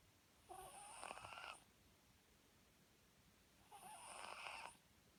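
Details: Two rough, fluttering snores come from a Papillon fast asleep, each about a second long and spaced roughly three seconds apart, with a faint hiss in the quiet room between them.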